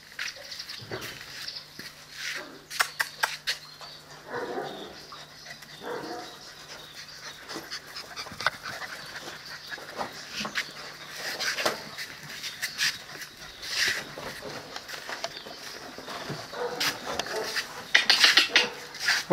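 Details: Presa Canario and Cane Corso puppies seven weeks old give soft, broken whimpers and squeaky whines amid constant scratching, clicking and shuffling noises, with a loud cluster of rustles near the end.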